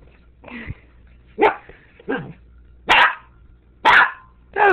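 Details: Tobi, a pet dog, confronting a sriracha bottle: six loud, harsh barks in under five seconds, coming at uneven gaps of roughly half a second to a second, with a quiet room hum underneath.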